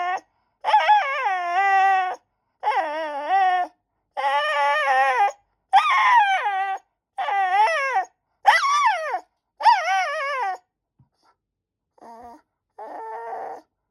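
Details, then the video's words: Insistent white Shiba Inu begging its owner for a treat, giving a steady series of about seven loud, wavering whine-howls roughly every 1.5 seconds, then two fainter, softer whimpers at the end. "Give me a snack ! おやつをちょうだい！とお母さんに催促する柴犬"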